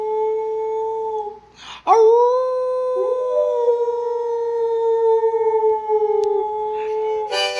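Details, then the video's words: A pet dog howls along while its owner sings to music: long, steady, drawn-out tonal notes held for several seconds with rich overtones, one brief break near the start, and musical accompaniment underneath. "Singing and Howling with Pixie."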